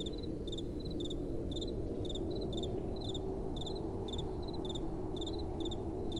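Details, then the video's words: Crickets at night under soft wind: thin, high chirps in brief two-pulse bursts, repeating roughly twice a second in an uneven overlapping rhythm, over a broad, steady wind noise. "Relaxing Night Time Sounds | Crickets & Soft Wind"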